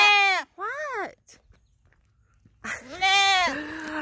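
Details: Bottle-fed dappled twin Boer goat doelings demanding attention and following their owner: three harmonic-rich bleats, two short wavering cries then a longer, louder holler that drops in pitch near its close.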